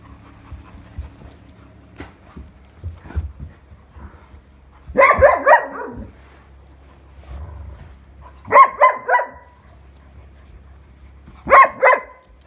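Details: Irish Setter, a pet dog indoors on 21 August 2022, frustrated and wanting her toy back: three bursts of short, grumbling moan-like vocalisations, each group of several pulses, spaced a few seconds apart, with soft rustling and panting in between.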